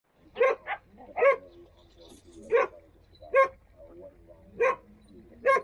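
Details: Standard poodles in Ketchum near Sun Valley, Idaho, barking in a quiet setting: about seven sharp, mid-pitched barks, some in quick doubles, spaced roughly every second.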